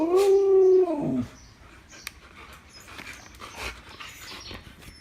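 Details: Siberian Husky given a snack, making a loud talking howl-like vocalization that rises then slides down over about a second, followed by quiet room noise and soft clicks.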